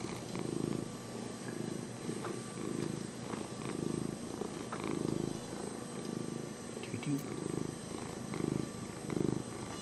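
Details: Cat Lenny keeps up a low, grainy purr, pulsing with each breath in uneven swells, a couple of faint clicks and light background noise underneath.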